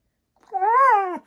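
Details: A pet Siberian Husky named Maya vocalizes at an Alexa device: a single short, arching whine-like note that rises and then falls.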